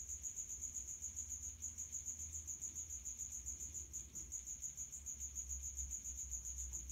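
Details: Male house cricket calling in high heat from a resonant hiding place: a quick, shrill chirp train, about three to four per second, slightly uneven with small gaps, above a low background rumble.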